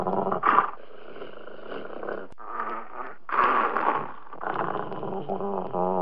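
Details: A Dobermann growling and snarling continuously with throaty rumbles that rise into louder, harsher bursts, then end in a drawn-out, moaning growl.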